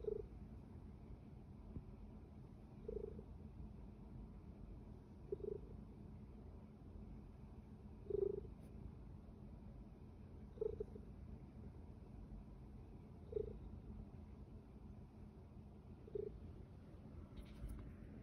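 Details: Pet kitty giving a continuous low purr, a soft rumbling bed marked by faint, short pulses about every two and a half seconds, with a brief scratchy rustle near the end.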